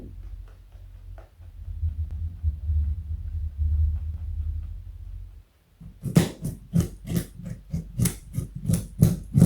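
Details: Joey, a pet rabbit weighing 4.6 kg and over 60 cm long, eating a carrot indoors: after a few quiet seconds of low rumble, sharp crunchy bites start and repeat rapidly, almost three per second, until the end.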